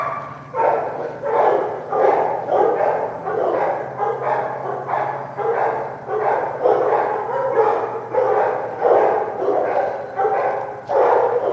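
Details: Several dogs, including a female puppy, bark during a shoot near moving water; an insistent run of sharp barks repeats about one and a half times per second over a constant low droning hum.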